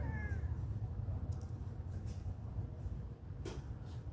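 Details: Friendly cat at a pagoda giving a short falling meow with bright harmonics at the very start, then quiet apart from a steady low rumble and a few faint clicks and rustles.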